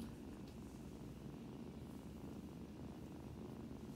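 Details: A sick kitten rescued from highway construction rubble purrs in a steady, low, rumbling drone close to the listener. It has stopped eating, is being force-fed, and is not playing like its littermates.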